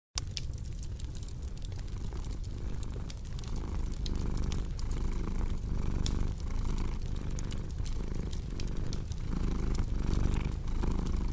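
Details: Cat purring steadily in a low, rumbling drone that swells and fades with each breath, under constant crackling and popping from a fireplace.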